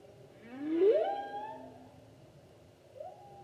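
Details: Humpback whale song recorded in 2016: a loud rising upswept moan with strong harmonics, easing into a level tone, followed after a pause by a short, quieter rising note.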